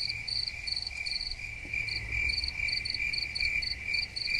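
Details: Several crickets chirping: quick, high, pulsed notes repeating in rapid succession over a continuous shrill trill, a soft low rumble in the background.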